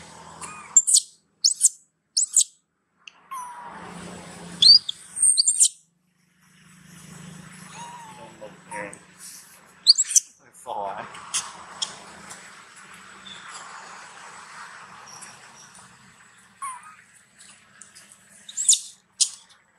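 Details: Loud crying from Brinn, a young monkey being weaned and pleading with its mother for milk; shrill squeals and whining wails repeat through the stretch, separated by rustling and low handling noise.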